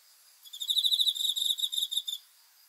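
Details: Night-time cricket song, a single fast pulsing high trill lasting about 1.7 seconds, rising in from near silence and stopping abruptly.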